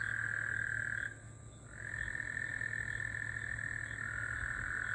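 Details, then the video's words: Gulf Coast toads calling in the middle of the night after rain, June 24, 2024: a continuous, steady, mid-pitched trill that breaks off for about half a second near the one-second mark, then resumes, with a low steady hum underneath. "Gulf Coast toads. 🐸 🐸 love hearing them at night 🌙"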